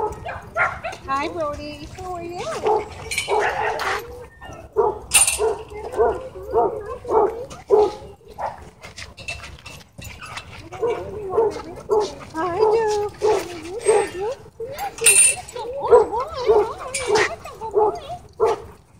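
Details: Dogs at a dog park, happy play interrupted by a dogfight: bursts of harmonic barks and yelps in uneven clusters, pausing briefly midway, with people's voices in the background.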